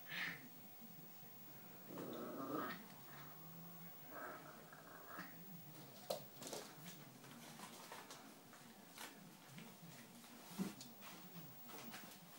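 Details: Anti, a three-month-old poodle puppy, gives brief high whining whimpers near the start and again midway, mixed with a low rough growling rumble and scattered sharp clicks and knocks.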